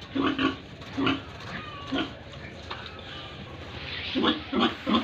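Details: Pigs at a Tripura pig farm give clear, low, nasal grunts in pairs and short runs, several spaced about a second apart, with quieter murmuring between them.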